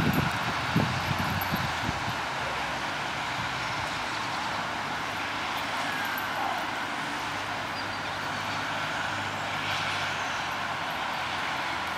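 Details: Steady roar of road traffic and passing vehicles fills the recording throughout, with no animal calls standing out.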